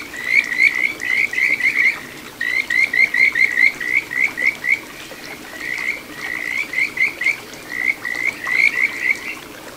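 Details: Kajika frog singing beside a small satoyama stream, Ichihara, Chiba, Japan, June 2022: groups of three to five sharp rising whistled chirps repeated in regular bursts, each group separated by brief pauses, stream trickling in background.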